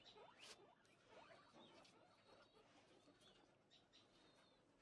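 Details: Very large Abyssinian guinea pig with a swirled coat, giving faint, short rising squeaks at irregular intervals over soft rustling and background hiss.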